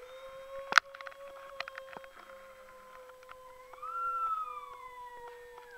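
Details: Australian Shepherd puppy howling: a long, steady mid-pitched tone held throughout, then a brighter second voice swelling upward and sliding slowly down near the end, with a sharp knock early on.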